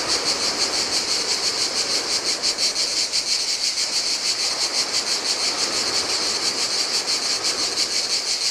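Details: On a desolate Greek island beach by the Adriatic, in the heat, many cicadas produce a high, shimmering buzz that throbs rapidly and evenly without pause, while gentle ocean waves hiss faintly in the background.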